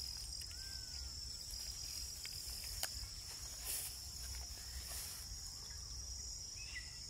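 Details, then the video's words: Crickets give a steady, high, unbroken trill throughout, with a couple of faint bird notes and a low background rumble. "bugs crickets"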